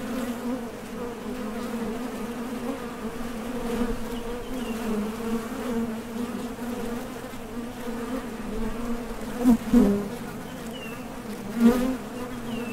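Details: Foraging honey bees buzz at the entrance of a Top Bar Hive, setting out or returning from gathering nectar; an even, layered drone that holds steady, then two sharp louder passes near the end as bees land close by.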